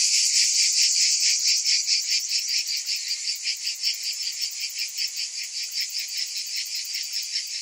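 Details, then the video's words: Summer cicada chorus: shrill, continuous insect buzz that starts loud and then settles into evenly pulsing waves, roughly two and a half beats per second, nothing else audible. "Cicadas in Summer"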